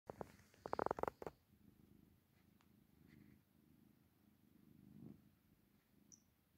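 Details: Tabby kittens purring while falling asleep indoors, a soft low continuous rumble pulsing steadily, preceded by a brief burst of rustling and handling noise at the start.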